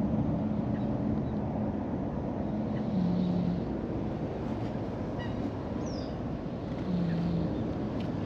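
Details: Brown-and-white cat, a park stray, napping contentedly and snoring loudly: short low droning snores about every four seconds, partly buried under heavy outdoor rumble and wind-like noise, with faint distant bird chirps.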